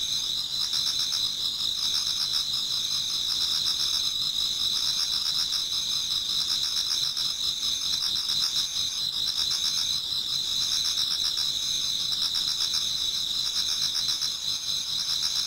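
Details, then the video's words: Many autumn insects singing towards dawn in a Japanese garden: a dense, continuous high chorus with steady trilling bands and faint pulsing, no other animals or voices. "Autumn Insects voice Towards dawn"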